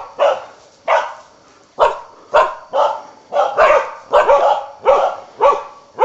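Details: Karelian bear dog on a wild boar hunt giving steady, ringing barks spaced roughly every half to one second, each bark sharp with a falling tail and echo, some barks in quick pairs.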